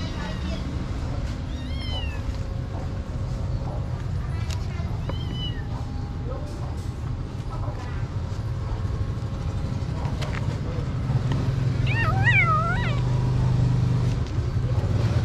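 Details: Tiny street kitten at a pagoda giving thin, arching meows: brief cries near two and four seconds, then a louder cluster of three rising-falling mews around twelve seconds, over steady traffic rumble and people talking.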